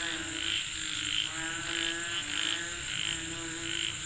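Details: Frogs calling for rain, giving repeated croaks about one and a half times per second, with a steady piercing insect tone in the background.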